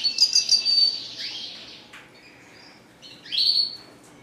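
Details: Caged red siskin with a high, buzzy twittering phrase, a downward-slurred note, a quiet gap, then a bright rising whistle with a buzzy edge.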